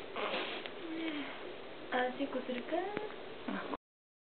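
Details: Lively Chihuahua puppies born December 17 give thin, squeaky whines that rise and fall in short, uneven bursts.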